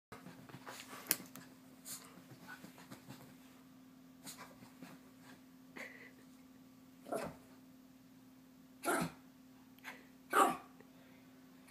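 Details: Chihuahua named Bailey, hyper and wanting to play before bedtime; scattered short sharp barks and yips, mostly in the second half, with soft shuffling and breathing between them and a steady low electrical hum throughout.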